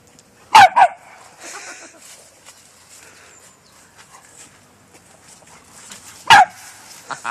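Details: Bernese Mountain Dog playing with a Jack Russell: a loud double bark at the start, then a single loud bark near the end, with quiet human chatter and rustling in between.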